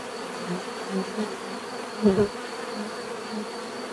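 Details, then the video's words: Bees buzzing around, a steady drone broken by several close fly-bys, one strong double swell midway where a bee passes right by. "bees therapy relaxing natural buzzing sound"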